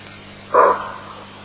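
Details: A greater kudu gives a single loud, gruff alarm bark, short and abrupt, against a quiet background, at Elephant Plains, Africa, on 23 August 2008.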